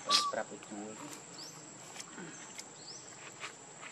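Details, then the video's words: Baby monkey Lucie crying pitifully for milk, hungry and foaming at the mouth: a short, loud whistled cry, then a few faint harmonic squeaks, followed by quiet background with a steady high hiss. "Lucie Very Pitiful Need Milk Crying foaming At The Mouth I Lovely Baby Monkey"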